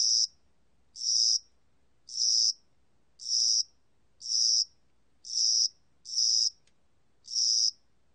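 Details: Cricket of spring and summer: high, bright chirps, each lasting about half a second and repeated roughly once a second in a steady series of eight, over a quiet, still background.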